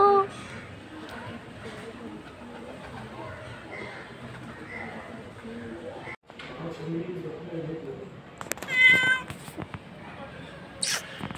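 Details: A black cat, said to be hungry, gives one short rising meow near the end, amid a quiet background with soft indistinct sounds and a brief crackle.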